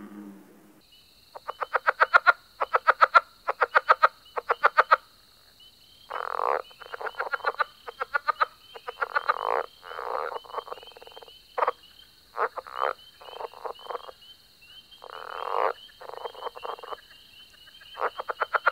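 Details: Frogs calling together, bursts of rapid dry pulsed croaks repeated about once a second, some rattling and some rasping, over a steady high continuous hum from other callers in the background.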